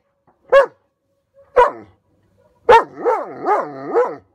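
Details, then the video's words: Odin, a German Shepherd, reacting to a hot air balloon entering his airspace: three sharp separate barks about a second apart, the last running into a wavering, howl-like moan that rises and falls three times. "Odin's Balloon Tantrum"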